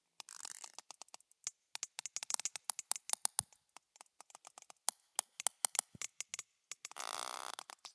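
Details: Sperm whales (Physeter macrocephalus) trade rapid, sharp clicks in Morse-code-like coda patterns while socializing; their clan dialects of codas are described as language-like.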